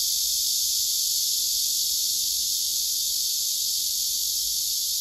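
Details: Chorus of male cicadas, a second one responding loudly, while another male pumps its abdomen silently for a female. Unbroken shrill buzz fills the whole stretch at even loudness.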